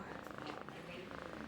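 A Persian cat gives a continuous, evenly pulsed purr, a soft throbbing rumble repeated many times a second. A person's voice can be heard talking over it.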